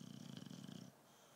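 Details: Tyson, a British Bulldog, asleep and snoring: one low, rumbling breath with a fluttering texture lasting under a second before it fades into quiet.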